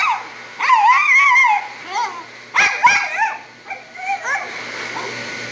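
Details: A Havanese dog at a grooming shop sings the blues under the dryer, giving a long wavering whine followed by shorter yelping wails, over constant dryer noise with a voice briefly audible.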